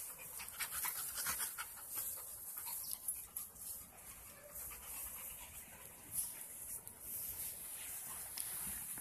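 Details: Mona the Presa Mallorquín, Rocky the Rhodesian Ridgeback and Onix the Labrador Retriever play with a ball in a park at night in 2018; rapid, breathy, irregular panting runs throughout with hissy background noise.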